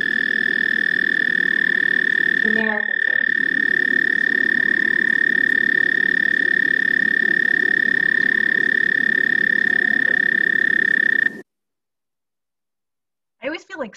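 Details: An American Toad from Rhode Island gives a long, steady, high musical trill, a sustained note held on one pitch for many seconds.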